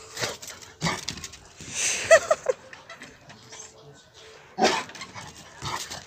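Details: A Rottweiler gives short, harsh, angry barks in reaction to loud firecracker bangs during Diwali.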